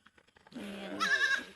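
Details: Goat on a farm in the province, near the goat pen where young kids are kept. A wavering bleat first sits low, then jumps to a higher, strained cry. Faint voices are heard just before.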